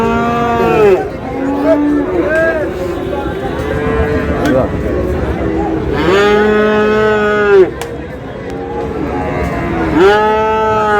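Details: Friesian and crossbred bull calves at Ambari livestock market in Dinajpur, Bangladesh, on 9 August; three long, deep harmonic moos near the start, middle and end, each lasting about a second, over steady crowd chatter and market bustle.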